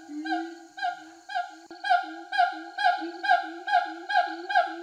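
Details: Rehabilitated siamangs free in Sumatran forest for over a year sing loud, honking hoots repeated about twice a second, rising in intensity. A male gives a territorial display in a tree and the female joins in support.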